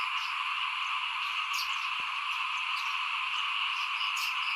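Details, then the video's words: Chorus of frogs outside a house during rice sowing in 2021: a continuous shrill, buzzing wall of calls with no pauses, plus a few brief higher chirps scattered over the top. "ฟินๆกับเสียงเขียดร้องหน้าบ้าน ตอนหว่านข้าวเตรียมปลูกปี2021"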